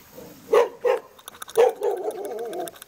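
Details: Barking Jindo dog kept in the front yard of a traditional hanok house in Jeonju, North Jeolla Province, Korea: two abrupt barks, another bark, then a drawn-out wavering whine-like yelp at the end.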